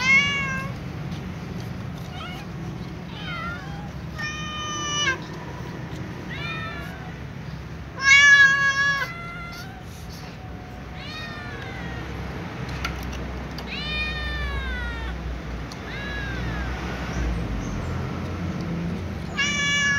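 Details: Meows from a little ginger cat heading to eat with a tom cat and other cats: a long series of harmonic, arching calls, some rapid and clipped, one loud burst near the middle, with steady low background hum.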